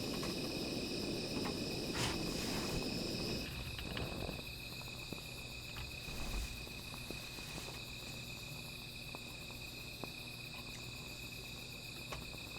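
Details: Night insects beside a small fire: steady high-pitched trilling bands hold throughout, while a burst of crackling and rustling fills the first few seconds, then fades to scattered clicks and pops.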